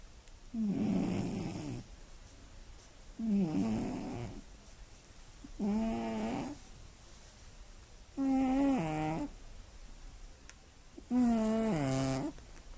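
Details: Sleeping Scottish Fold cat snoring loudly at night: five rasping, nasal snores, each about a second long, come roughly every three seconds. Later snores turn more tonal and whistly. Quiet room hiss fills the pauses.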